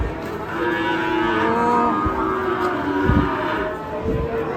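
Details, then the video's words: Enraged cattle in Indonesia, several animals lowing with long, drawn-out harmonic moos that overlap one another across the stretch, set against a steady murmur of background noise. "SAPI NGAMUK"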